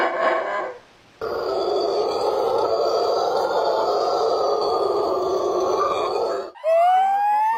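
Monkey calls: a harmonic cry, a long rough droning grunt, then a sharp upward-sweeping squeal.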